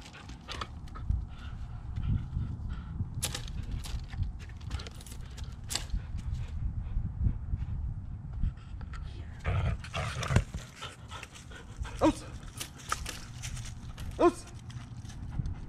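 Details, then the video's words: Female Belgian Malinois playing tug of war with a new rope toy, growling low and rumbling almost without pause, broken by sharp knocks and scuffling sounds from the play. "Malinois playing Tug of War"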